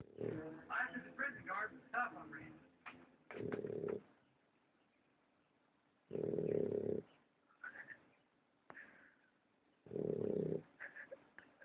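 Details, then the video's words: American Bulldog puppy, male, snoring very loudly: three deep, rasping snore bursts of about a second each, spaced several seconds apart, with a person talking and faint rustling at the start. "american bulldog puppy snoring"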